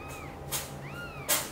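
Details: Kittens belonging to mother cat Chan, taken by mother cat Xaxa to her own nest, give two thin, high meows, each rising then falling, about half a second apart, broken by short bursts of broadband rustling noise.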